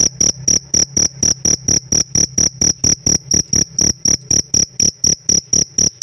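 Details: Cricket kept as a pet, chirping in a regular train of short, high, ringing pulses, roughly three or four every second, each with a crisp clicking attack. The background is quiet.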